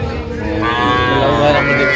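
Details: Young cattle, small bulls and heifers from a purchase of sixteen calves, low drawn-out moo with stacked harmonics that rises slightly in the middle, with men talking over it.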